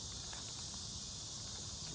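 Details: Cicadas in pine trees around a US town on a beautiful, calm day give a steady, high, hissing drone that holds without a break from start to finish.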